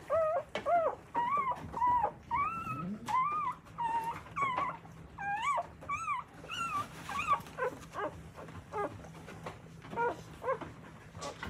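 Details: Newborn Akita puppies with their nursing mother in Akita, Japan, cry in steady arched whimpers, nearly two per second, loud at first and softening toward the end, over a low background hum.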